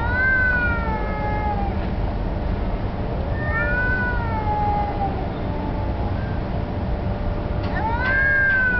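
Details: Two street cats, one black, possibly fighting over territory or mating; long harmonic yowls that swell and dip, three main drawn-out wails separated by pauses, with a steady low hum of outdoor background noise.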